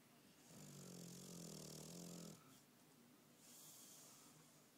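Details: Bulldog asleep, snoring with one loud, buzzy, low-pitched inhaled rumble of nearly two seconds, followed by a softer breathy exhale and quieter breathing.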